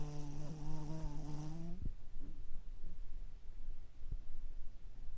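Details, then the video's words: Toy Poodle asleep flipped onto its back with eyes rolled back to the whites, snoring: a drawn-out, steady, slightly wavering tonal snore with rich overtones lasting under two seconds, then quiet low breathing with a couple of soft clicks. "ひっくりかえって白目をむいていびきをかいて寝るトイプードル Dog Toypoodle snoring"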